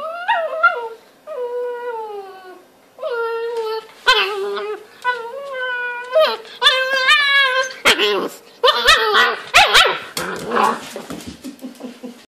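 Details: Two puppies, a brown Newfoundland and a Maltese, chew and play in a bed, giving a run of high whining whimpers and yips, some drawn out and wavering, quickening into choppy squeals and scuffles toward the end.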